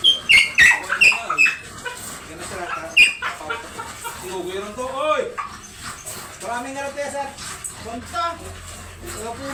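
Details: Dobermann dog at a stud service in Bunuan, Dagupan City, Pangasinan, giving a run of high, thin, wavering whines in the first few seconds, then quieter whimpers under steady human talking.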